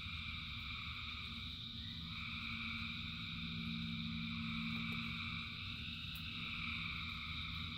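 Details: Thousands of frogs singing in the rain: a dense, unbroken chorus of overlapping high trills that merge into a steady shimmering drone, over a low, constant rumble of rainfall.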